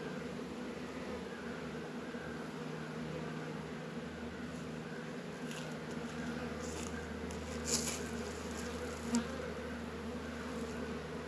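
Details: Steady low droning of honey bees busy around Warré and Langstroth hives in a northern Kentucky apiary on a warm 72-degree winter day in February; the even hum is broken by a few brief sharp clicks late on.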